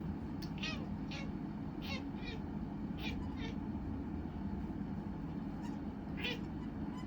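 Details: Scottish Fold cat making brief, high, squeaky meows, about seven short chirp-like calls spread over several seconds, some in quick pairs, over a steady low household hum.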